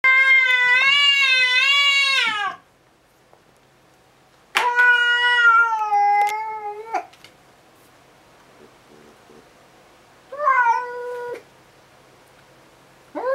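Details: House cat indoors before 7 a.m., frightened by a stray cat visiting outside the window, back fur and tail puffed up, meowing loudly: three long, wavering, harmonic-rich meows, the first two about two seconds each, the third short, with another starting at the end.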